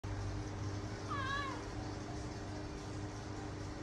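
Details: A cat gives a single meow about a second in, a clear whining note that arches up and then slides down. A steady low hum runs underneath throughout.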